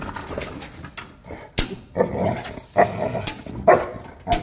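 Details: Boerboel, also called South African Mastiff, one of a pair named Enzo and Diva living in Egypt. Deep, rough bark-like bursts come in an uneven series of about four within a few seconds, with a man's voice and background music.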